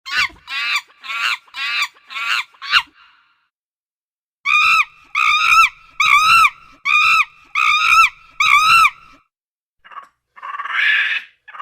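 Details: Monkey calling in two loud series: first six sharp harmonic cries about two per second, then after a pause a run of seven rhythmic, ringing, downward-arching calls, ending with a raspy burst.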